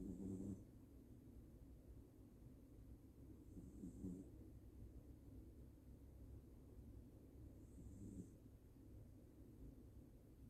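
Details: Sleeping Toy Poodle snoring: three soft, low snorting breaths about every four seconds over a steady quiet background hum.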